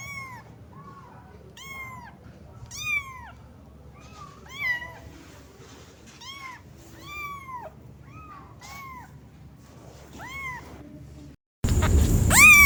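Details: Cat meowing rapidly, around a dozen short arched meows of varying length in quick succession, some paired, in a small indoor space, ending with a sudden loud burst of noise.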